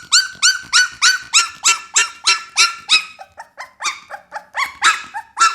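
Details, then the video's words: Young Pit Bull pup crying in fast, evenly spaced high yelps, each with a rising-then-falling bend, about three per second, briefly dropping to lower softer squeaks midway before loud yelps resume. "เสียงหมาน้อย ลูกพิทบูล"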